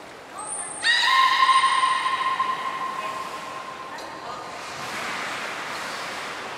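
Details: At the Port of Nagoya Public Aquarium on 2 August 2019, belugas train on male Mirai's seventh birthday. A high whistle tone is followed by a strong, steady harmonic call lasting about three seconds, then quieter noise and faint chatter.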